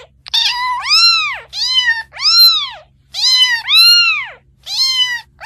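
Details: Young cat crying in quick succession, about seven bright, arched meows in five seconds, each rising then falling, with barely a pause between them.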